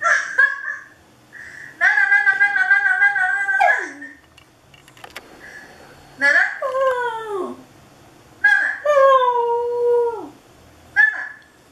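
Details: Dog howling indoors toward a webcam: long, steady, tonal howls lasting about two seconds each, the later ones sliding downward in pitch at the end, separated by short pauses, with brief quieter sounds in a small room.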